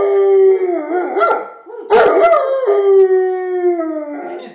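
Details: Puppy coaxed by its owner into a howling session: a long, steady, slightly falling howl with a brief yelp-like break in the middle, then the howl continues and fades downward.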